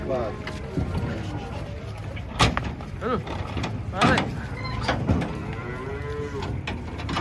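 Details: Huge cattle unloaded from a truck, said to be aggressive; a few fainter, short moos amid loud clattering thumps and handling noise.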